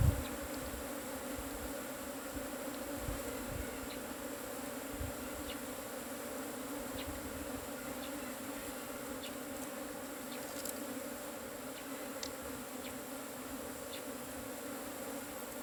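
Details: Asian honey bees from a cavity nest, their hive being harvested. A dense, steady, low droning hum holds evenly for the whole stretch with layered tonal bands, and faint scattered clicks and light knocks sit above it.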